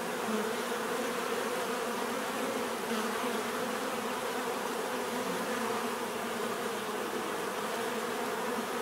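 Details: Steady swarm-like drone of bees, an even, unbroken hum over a hiss of broadband background noise, with no pauses across the stretch.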